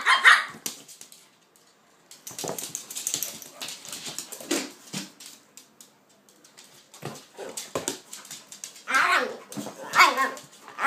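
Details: Two dogs playing together, Kaiser and Viki, a pitbull and a King Charles spaniel: short bursts of barking and growly vocal noise in clusters near the start, middle and end, separated by quiet gaps.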